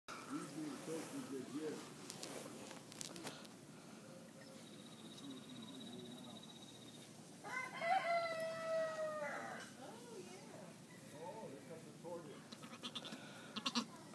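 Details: Two-day-old Nigerian Dwarf goat kid giving a single drawn-out, steady-pitched bleat lasting under two seconds, midway through, amid soft rustling and handling noises before and after.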